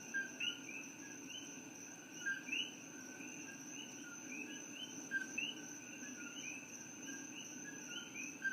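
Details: At night in Hilo, Hawaii, where they are invasive from Puerto Rico, common coqui frogs call in a bird-like chorus, each giving a two-note 'co-qui' with the second note rising higher.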